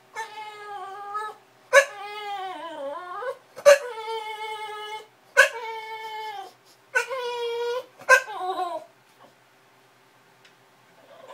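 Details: A bulldog's funny whimpering cries come in a series of six long, nasal, harmonic whines. Some dip and rise in pitch, and each starts with a sharp click-like yelp, with brief silences between. After the last cry the room falls quiet.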